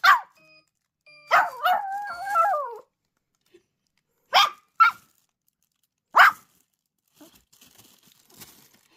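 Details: Maltipoo howling in response to a sound: one long wavering, falling howl after a sharp yelp, followed by several short, separate barks and quiet rustling.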